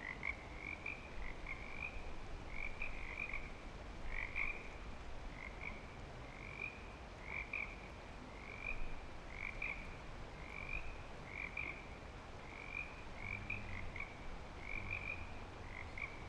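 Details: Breeding-season frogs at Clearwater Commons give short bright croaks in groups of two or three, spaced roughly every second, many callers layered into a continuous chorus with faint low background noise.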